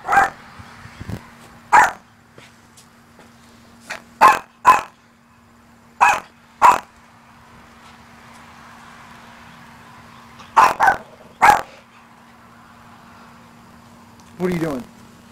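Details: Maltese named Luci barking at her own reflection inside a church, mistaking it for another dog: sharp, high yappy barks, single or in quick pairs, spaced a few seconds apart over a steady low hum.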